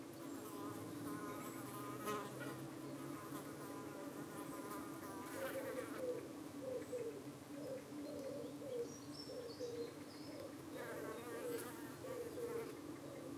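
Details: Honey bees at a UK hive on an evening, defending themselves as parasitic flies dart in to settle on their abdomens; a steady low hum with stacked harmonic bands, overlaid by wavering, pitch-shifting buzzes of individual insects darting past.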